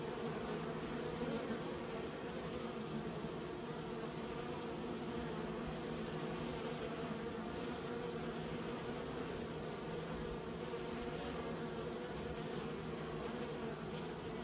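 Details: Raised honey bees, a continuous dense droning hum with layered harmonic bands, even in loudness throughout, no other sounds.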